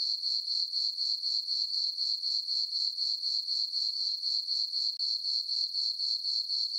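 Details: Crickets chirping on a farm meadow on a peaceful summer night under a full moon: a steady, high-pitched ringing trill pulsing evenly about four times per second, with no other sounds.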